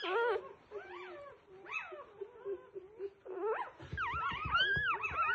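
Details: Newborn F1B Goldendoodle puppies giving thin, wavering squeaks and whines, overlapping cries growing louder and more varied toward the end, with soft rustling beneath.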